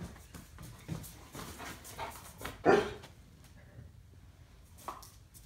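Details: Standard Poodles, a pair awaiting a visitor, make restless noises before one abrupt loud bark rings out midway, followed by faint whimpering and movement.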